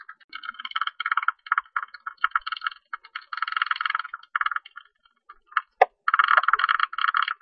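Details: Tube-nosed bat, recorded in 2020 by the National Institute of Biological Resources in Korea, giving quick ticking pulse trains that merge into buzzy crackles, stopping briefly before a lone loud click and a renewed dense burst.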